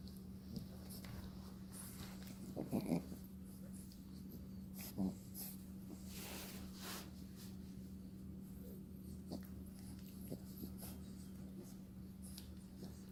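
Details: French Bulldog puppy, indoors, noisy while playing with her toys: short wheezy snorts and rough snuffles, a cluster near three seconds and another at five, over a steady low hum and faint rustling.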